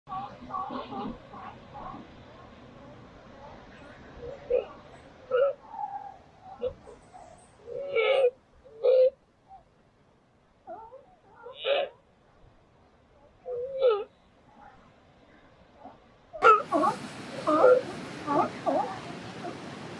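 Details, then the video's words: Newborn California sea lion pup, restless and crying in the morning beside its mother, gives short harmonic bleating cries in separate bursts every one to two seconds, with quiet gaps between them; surf-like noise rises near the end. "Sea Lion Baby"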